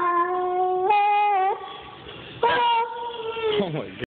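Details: Kaiser, a German Shepherd dog, making funny noises: two drawn-out, wavering whine-like tones. The first steps up in pitch partway through, and the second starts loud and slides downward before cutting off.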